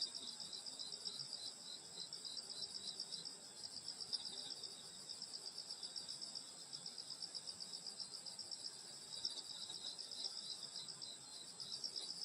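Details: Summer-night countryside insect chorus by a grandmother's rural home in Korea, several high continuous bands of buzzing, finely pulsed trills overlapping, beating about four times a second with gentle swells in loudness; nothing else stands out.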